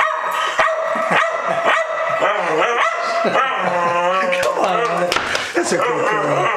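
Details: Refusing her Sunday night bath, Maverick, a two-year-old female Staffordshire Bull Terrier, lets out long, wavering, moaning howl-grumbles that rise and bend in pitch, nearly continuous, while a person coaxes her in the background.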